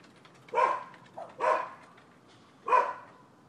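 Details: Neighbours' dogs barking in a recording dated 12/7/15: three sharp, loud barks, the first two close together and the third after a pause of over a second, over a quiet background.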